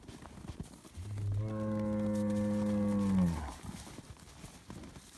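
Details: Noisy Highland cattle bull, a Scottish breed raised on a farm in Finland, receiving bread, gives one sustained, deep, steady moo lasting over two seconds that drops in pitch at its close, amid light background rustle.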